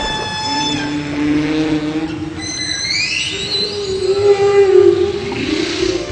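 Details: Humpback whale song, from whales that migrate to warm tropical waters to breed; they use varied sounds to communicate. Long, moaning tonal notes mixed with rising and falling whistled sweeps.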